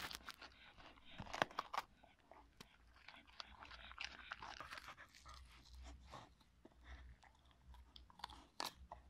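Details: A Cocker Spaniel named Marti eats a pepper indoors, producing dense, rapid crunching and snapping bites that come in quick uneven clusters, with a faint low hum beneath and softer chewing toward the end.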